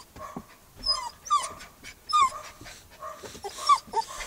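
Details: Max, a Newfoundland and Labrador mix puppy in his first week with his new family, sits in a car, unhappy at being separated from his people. He gives short, high, bending whines and yips in scattered bursts against a quiet background.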